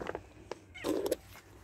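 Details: Domestic cat meowing as food is set down and it is called over to eat, at Giv'at HaMore in Afula, Israel; one short meow of under half a second, with rustling and a woman's voice nearby.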